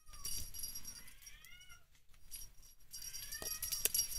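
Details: A blue point mitted Ragdoll kitten gives thin, high mews that bend down in pitch, over a soft background hiss, 10 June 2022.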